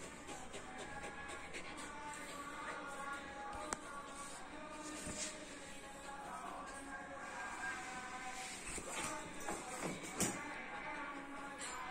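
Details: Soft background music with sustained tones plays over light shuffling and tapping, and a sharp knock stands out near ten seconds.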